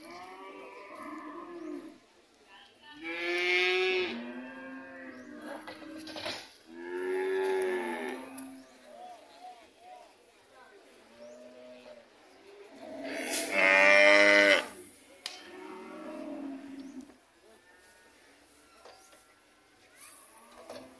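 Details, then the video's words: Red cows returning home, mooing repeatedly: several long harmonic lowing calls of one to two seconds each, some loud and strained with rising then falling pitch, spaced by quieter gaps with faint fainter moos between. "the cow's homecoming process"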